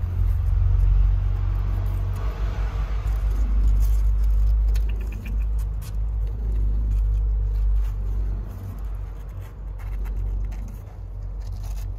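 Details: Steady low engine rumble with scraping and rattling, and no animal voice.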